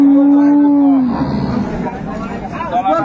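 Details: Improved-breed milking cow with calf at Ambari market, Dinajpur, Bangladesh, 22 April 2024; one loud, even, low moo lasting about a second drops slightly in pitch at its end, followed by men talking and market bustle.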